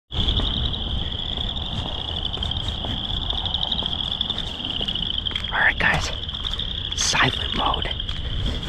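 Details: In early spring in Wisconsin, a dense chorus of boreal chorus frogs, among the state's smallest frogs, calls near flooded fields, a steady, high, rasping trill with overlapping pulses growing louder on approach; Boreal chorus frog.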